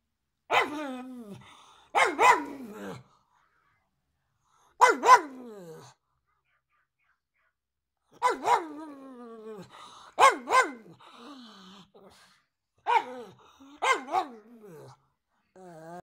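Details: Pug barking: sharp, harmonic barks delivered singly or in quick pairs, about ten in all, separated by pauses of one to two seconds, with brief softer whine-like tails between some barks.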